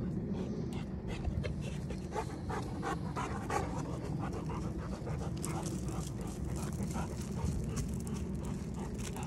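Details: Free-roaming Rottweilers Samson, aged two, and Vader, aged one, out in the neighbourhood at night; close, quick panting over a low rumble of background noise.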